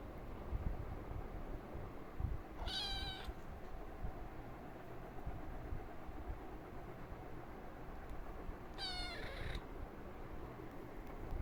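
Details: A cat meows for affection: two bright, harmonic-rich meows about six seconds apart, each short and slightly falling at the end, over a steady low rumble.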